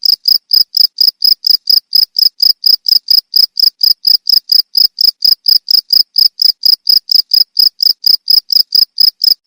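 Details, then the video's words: Crickets used as a tutor recording for training songbirds: a steady, fast series of short, high, shrill chirps, about two per second, each pulse cleanly separated by silence, with no other sounds. "Suara jangkrik untuk masteran burung"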